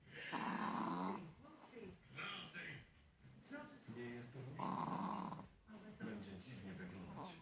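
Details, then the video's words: A fat Chihuahua sleeping snores in slow rhythmic breaths, each a rough nasal rasp lasting about a second, repeating roughly every one and a half seconds indoors. "The Fat Chihuahua - Snore Snore Again !"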